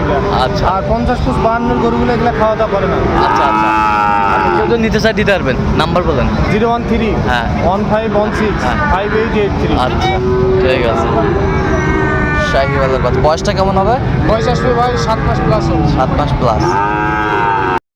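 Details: Sahiwal bull calves traded at the opening of Ambari cattle market in Dinajpur, Bangladesh, on 26 September 2025; deep, drawn-out moos with rich harmonics rise repeatedly amid a crowd of human voices and passing vehicle noise.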